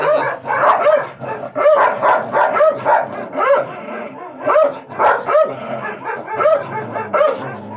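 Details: Dog barking in a Gultair versus wolfdog matchup: loud, harsh barks repeated roughly every second in a steady series, with a low hum beneath.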